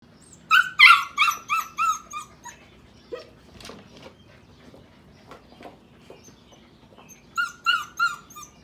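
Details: Sheepadoodle puppies seven weeks old, visited by their mother Pepper, from the litters of Pepper and Coco: a run of high, harmonic puppy whines near the start, scattered small noises, then another quick burst of whines at the end.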